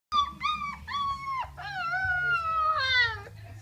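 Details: A litter of 3.5-week-old puppies howling on Christmas Day 2014, their first litter: several thin, high, drawn-out wails with harmonics, rising then sliding downward, overlapping in quick succession.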